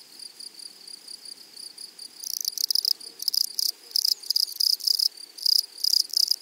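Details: Grasshopper in a flowery meadow or prairie, close and loud: after two quiet seconds, bursts of harsh, buzzy rasping begin, each about half a second long and repeated in quick series over a faint, steady high whine.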